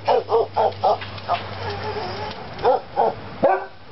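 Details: A wild grey squirrel in an oak tree gives a quick run of short, barking chucks, four in the first second, then a pause and three more, over a low steady hum.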